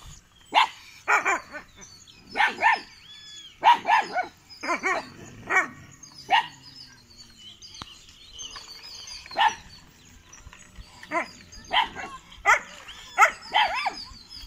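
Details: Kanni and Chippiparai puppies, 81 days old, showing guarding ability at a dog sanctuary in Thiruvarur, 2 August 2021: sharp, high yapping barks in short bursts, about a dozen spread irregularly over the stretch, with quiet gaps between.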